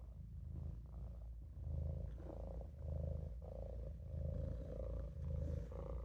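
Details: Maine Coon kitten Olof asleep in a sink, producing a low vibrating purr in clear pulses a little over a second apart, each swell carrying a soft tonal hum above the rumble.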